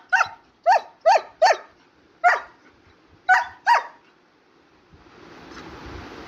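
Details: German Shepherd puppy, talkative, at home at bedtime: seven short high yappy barks in quick irregular bursts over four seconds, then a soft hiss of noise; a person speaks Bengali nearby.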